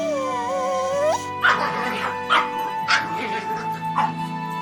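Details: A dog barks four times at uneven intervals, each bark short and harsh, after an opening strain of melodic music that continues faintly beneath.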